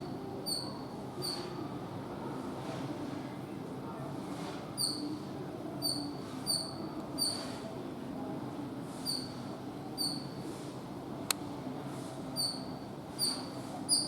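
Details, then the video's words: Squirrel chattering in short, high, chirping squeaks that come in loose pairs and bursts over low background hiss, with gaps between runs and one sharp click near the end. "Squirrel Sounds Squirrel Chatter Squirrel Noise making Sound"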